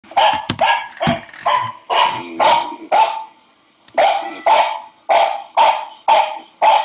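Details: Barking from a dog that is listening to another dog bark, about ten sharp barks in quick series at roughly two per second, with a brief pause near the middle before the barking resumes.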